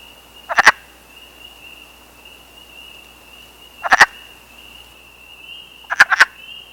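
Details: Wood frog at a temporary forest pond in Canada in April, during a breeding gathering of only a few days, gives three short clucking croaks, the last a quick double, with a steady high whine throughout.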